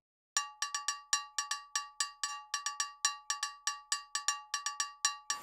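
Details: Rapid metallic cowbell strikes ring out in an irregular percussion pattern, with no animal sound.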